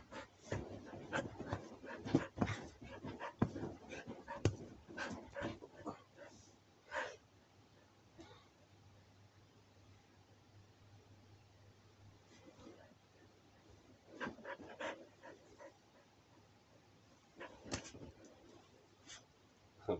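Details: Siberian Husky at five in the morning, during what is called a fight; irregular breathy panting and huffs with soft whimpers, busy in the first seven seconds, quieter in the middle, then renewed bursts near the end.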